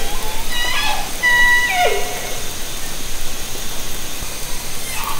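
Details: Hydrophone recording of an orca in Haro Strait, taken from a kayak in summer 2010: a harmonic call with a held high tone then a steep downward slide, followed by a softer brief squeal, over a background of hiss.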